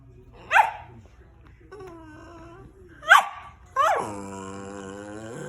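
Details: Pet rat terrier making funny noises at home: two short sharp yelping cries, then a long, steady, nasal whine with a slightly wavering pitch that lasts nearly two seconds. Quiet room.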